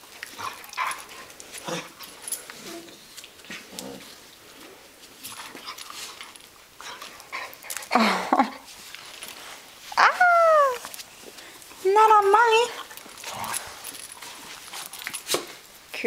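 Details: Two dogs, a Catahoula Leopard Dog and an Australian Cattle Dog, play wrestling in June 2010: scuffling and panting, then loud high whines that slide downward and a wavering yelping whine, with a woman talking between.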